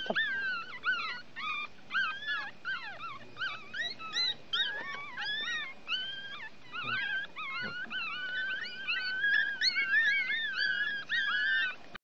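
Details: A litter of one-week-old Chihuahua puppies out drying in the sun keeps up a continuous chorus of shrill, warbling whimpers and squeals, many pups overlapping and rising and falling in pitch, growing fuller toward the end.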